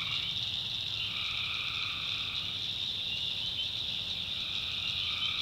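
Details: Tree frog chorus recorded at night in North Carolina backwoods swamp, with an unbroken high, shrill trill and a lower buzzing bout appearing early, dropping out, then coming back at the close.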